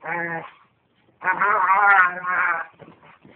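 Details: Lady, a white dog, playing with Lucy and making an odd sound copied from another dog: a short tonal bleat-like cry, then a longer wavering, grumbling whine that trails off into scattered clicks.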